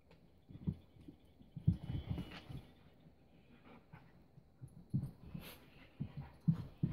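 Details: Keiko, a four-year-old Husky, and Lucy, a three-month-old Welsh Springer Spaniel puppy, on their first play date: low, short growly grunts and soft whimpers come in scattered bursts, mixed with thumps and scuffling.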